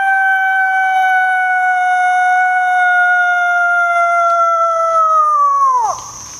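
A coyote gives one long, steady howl that holds its pitch and then drops sharply at the end.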